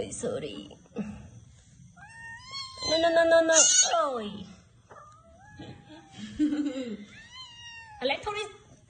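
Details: Domestic cat indoors giving drawn-out, wavering meows, one long rising-then-falling cry near the middle and a shorter one later, amid people talking and exclaiming in Khmer close by.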